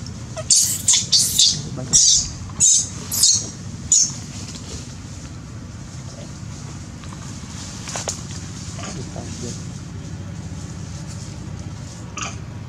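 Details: Crying baby monkey harassed by a large female monkey: a rapid series of six harsh, breathy screams in the first four seconds, then mostly quiet with faint scattered squeaks.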